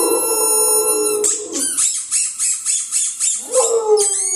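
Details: Pet dog howling indoors at a really loud squeaky ball, as if another dog were stuck inside; a sustained tonal wail with harmonics, a pulsing shrill squeak from the toy in the middle, then a falling howl near the end.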